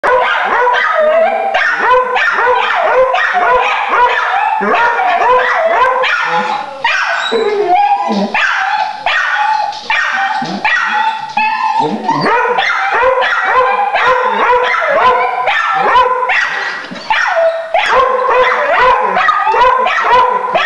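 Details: Several pet dogs barking frantically at a caged raccoon on the other side of a door: dense, overlapping harsh barks and yips, nearly continuous, with whiny tonal notes mixed in throughout.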